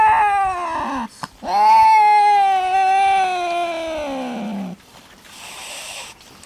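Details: First meeting on a farm between male cat Louie and a small black female stray: a short wail that drops, then a long loud drawn-out yowl that slowly falls in pitch before cutting off into quiet background.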